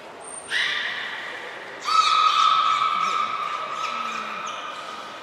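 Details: Captive belugas at Nagoya Port Aquarium during a training session with all animals taking part, 16 March 2024. A brief high pure tone comes first, then a harmonic-rich call and a long, steady, level whistle held for over three seconds.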